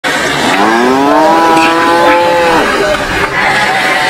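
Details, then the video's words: Farm cattle competing for food give a long moo, rising then level and held for about two seconds, with a rich stack of harmonics, over steady background noise from the herd. "SUARA SAPI MOOO"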